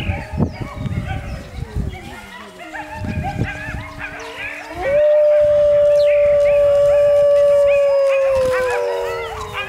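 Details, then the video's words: A gray wolf's long, steady howl rises, holds a clear pitch, then sinks, with other wolves howling over it and coyotes audible in the background at Wold Park. "Wolf howling"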